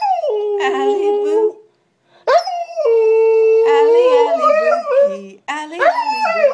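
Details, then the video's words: Siberian Husky, a female pet, singing along with her owner. A level howl, a short silence, then a rising howl that holds steady before wavering, with a lower human voice joining near the end. "My Husky Singing with Me"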